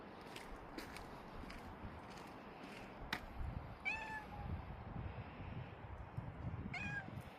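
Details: Domestic cat giving two short, clear meows, each slightly falling in pitch, about three seconds apart, over steady low background hiss and a few faint clicks.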